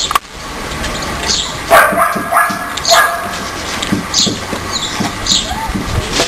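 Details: Four-week-old Siberian Husky puppy play fighting with its littermates: short high-pitched yips and squeals burst out irregularly, several in quick succession near the middle, over a background of scuffling and rustling.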